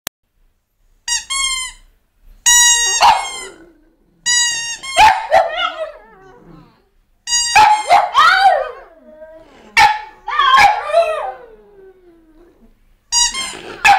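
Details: French Bulldogs howling: a mix of short sharp yips and barks with long wavering howls sliding downward, coming in bursts with brief silent gaps between them.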